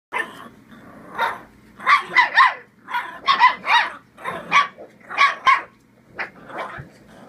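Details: Bull Terrier pup having fun and barking at the camera while playing: a rapid run of about a dozen short, sharp barks in bursts, some doubled, with a faint hum underneath.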